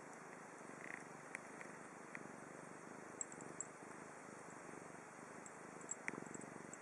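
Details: Quiet, low purring from Chibi, a domestic cat in Japan, a faint steady rumble under room hiss, with occasional small clicks and a brief higher squeak early on.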